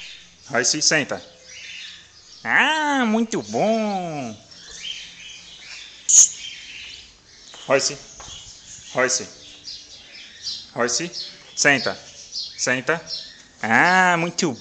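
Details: A 55-day-old Bull Terrier puppy, being taught to sit, gives short yips and drawn-out, arching whines, with a person's voice now and then.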